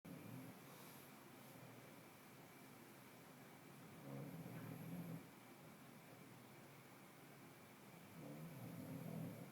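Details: An 8-month-old English bulldog puppy resting and sleeping on his bed snores softly, with low rumbling breaths that swell and fade every few seconds.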